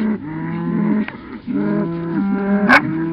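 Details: Cattle being moved to a new spot, herded slowly rather than rushed by a Cattle Dog and a second dog; steady, drawn-out lowing in overlapping moos, each about a second long with brief pauses, and a short sharp click near the end.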